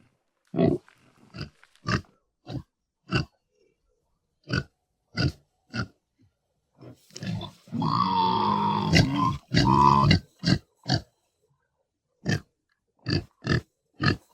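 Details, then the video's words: Pig grunting in a series of short, low, rough grunts spaced irregularly, with a longer harsh squeal-like burst in the middle and more grunts after. "SONIDO DE CERDO PARA NIÑOS"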